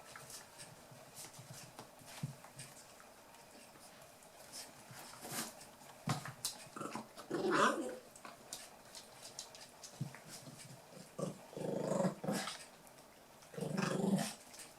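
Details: Eight-week-old Toy Poodle puppies from Tami's last litter playing indoors, with short low growling bursts near the middle and end, separated by quiet stretches of soft scuffling and faint shuffling.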